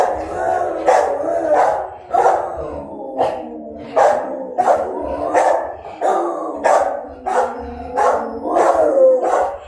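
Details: Dogs howl in a steady, mid-pitched chorus, punctuated by rapid, repeated barks roughly every second.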